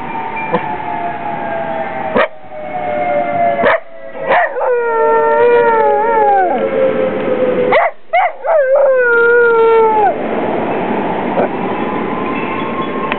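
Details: A pet dog howls in response to local firehouse sirens: long sustained tonal howls with wavering, rising and falling pitch and stacked harmonics, briefly broken by short gaps, the siren tone running steadily underneath.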